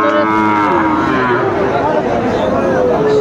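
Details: Sahiwal bulls at a cattle market in Cumilla, Bangladesh, on 19 September 2024, where farmers are buying: a long, drawn-out moo falls slowly in pitch, with other lowing behind it over a steady murmur of market noise.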